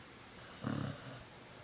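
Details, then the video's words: Sleeping puppy snoring; a single short rasping snore with a fluttering rattle lasting about half a second, in a quiet room. "My Puppy snores"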